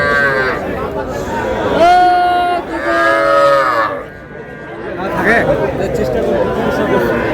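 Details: Small bulls and heifer calves at a cattle market, bought by a Faridpur farmer on 15 May: two long, tonal moos in quick succession, each under a second, then fainter lowing beneath busy human talk and bargaining.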